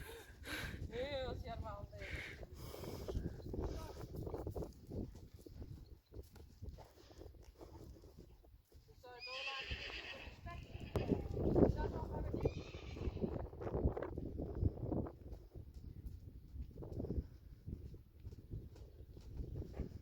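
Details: Friesian horse from a herd of Friesians gives wavering, quavering whinnies, one near the start and another around ten seconds in, over steady Dutch conversation and low thumps and shuffling.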